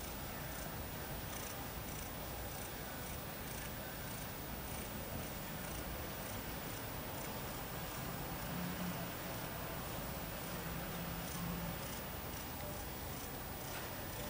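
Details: Pudge, a pet cat living in New York, purring in a steady, low, continuous rumble that runs unbroken through the whole stretch, with a soft hiss-like background noise throughout.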